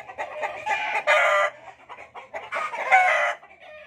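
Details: Fighting cocks: two loud, rasping, crow-like bursts, each lasting under a second, separated by quicker, softer clucking notes.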